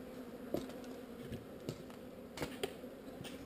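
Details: Honey bees from a swarm being relocated. A short, even buzzing hum with a low and a mid band, punctuated by several quick clicks and knocks.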